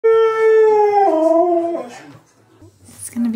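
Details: Siberian Husky, a male pet dog indoors, filmed in extreme close-up while trying to eat the camera lens; a loud drawn-out tonal howl sliding gradually downward for about two seconds, then fading, with a short voiced sound at the end.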